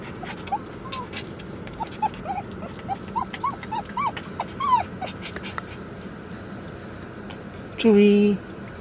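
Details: Poodles crying as their owner goes away: a run of short, high, arched whines over the first five seconds, then a brief spoken human voice near the end.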